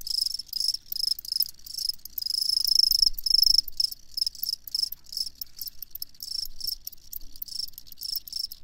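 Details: Loud, shrill cricket chirping in fast bursts with short pauses between groups, a sharp high pulsing trill and little else audible.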